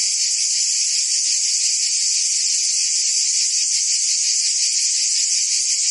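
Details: Summer cicada chorus recorded in Provence, France, a steady hissing buzz without pause; a brief faint lower tone appears at the very start.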